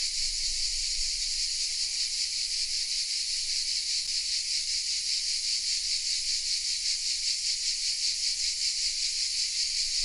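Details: Cicadas singing from oaks in Vézénobres, south of France, recorded on a Sony RX10 M3: dense high-pitched rasping buzz with rapid even pulsation, uninterrupted, a single faint click around four seconds.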